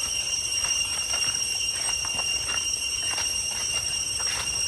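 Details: Along the path to Chhay Yong Waterfall in Koh Kong Province's Areng jungle, Cambodia, cicadas keep up a steady shrill hum of stacked high tones, accompanied by irregular soft knocks and footfalls.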